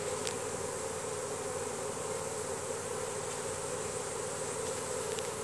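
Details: Steady, even droning of a honey bee swarm marching into its new hive box once the queen is inside, the bees signalling the new home with Nasanov pheromone; a thick unbroken hum with brief faint clicks.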